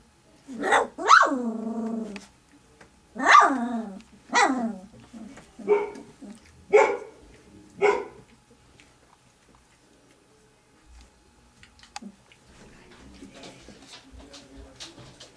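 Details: Three-week-old puppies squabbling over milk as their mother approaches; a run of six high, harmonic whining yelps over about eight seconds, each sliding down in pitch, then quieter shuffling and faint squeaks.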